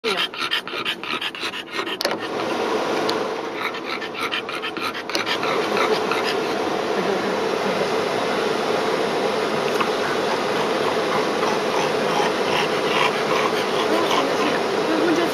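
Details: French Bulldog panting rapidly, about three breaths per second, a soft breathy rasp over a steady hiss, with sharper clicking bursts during the first five seconds.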